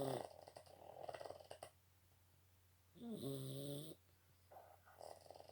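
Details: Snoring Boston Terrier: fluttering, rattly breaths and a wheezy, whistled snore with a falling then level pitch, repeated in a slow, uneven breathing rhythm, close and indoors.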